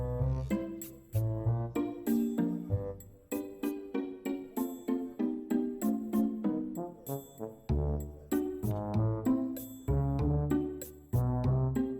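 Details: A bright, chiming music-box melody plays in a steady rhythm of plucked notes, with no animal sound audible.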